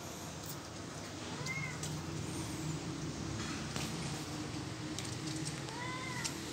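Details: Kittens playing all day in plant pots give two short, thin meows that rise and then fall, about four seconds apart, over a steady low background hum.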